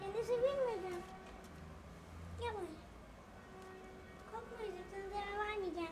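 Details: Sick rescued cat, kept indoors while a blizzard shut down the roads, gives several rising-and-falling meows: one long wavering call, a short one midway, then two drawn-out meows near the end, with faint background voices.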